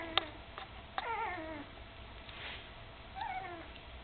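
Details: Almost three-week-old puppies with their mother Candy give a few short whining cries that glide downward, separated by pauses, with small knocks and rustles in a quiet room.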